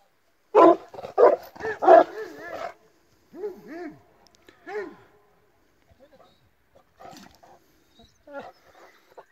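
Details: Illyrian Shepherd and a Presa Canario mix, dogs set against each other: a burst of four loud, harsh barks, then two lower arched growling calls, followed by scattered softer barks and yelps trailing off in quiet surroundings.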